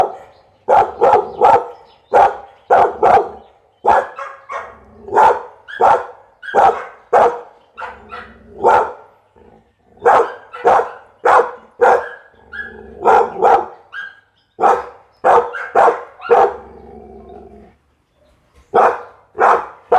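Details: Pit Bull dog barking steadily: sharp, loud, mid-pitched woofs in quick runs of two to five, dozens over the stretch, with short pauses and a low rumble between some barks.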